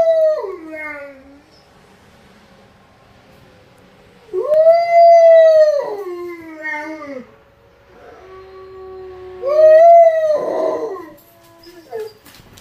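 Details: Fifteen-month-old Lycan Shepherd howling in response to a monthly tornado siren test, other shepherd dogs nearby: long, smooth, tonal howls that rise and then slide down, with a second voice joining, three main howls over twelve seconds.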